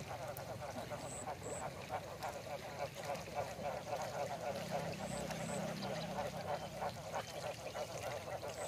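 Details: Breeding frogs about four months old in a female-frog pen on a Mekong Delta frog farm in Dong Thap call heavily just after feeding, rapid repeated croaks overlapping into a steady throbbing din.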